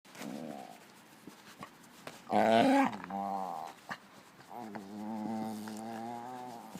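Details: A Hungarian Puli makes drawn-out, wavering groans and moans of satisfaction, with one louder, rougher outburst midway.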